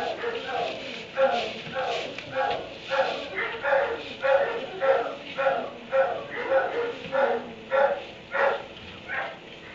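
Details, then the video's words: Kenneled dog in a barn at 3am giving a steady run of sharp barks, roughly one every half second, about fifteen in a row, fairly even in loudness throughout. "Barn 3am barking dog in kennel"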